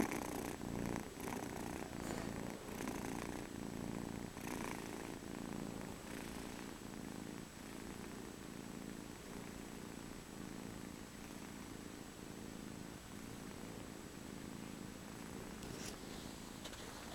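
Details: Soft cat purr, a continuous low droning rumble that swells and fades in regular breathing cycles roughly twice a second, quiet against a light background hiss.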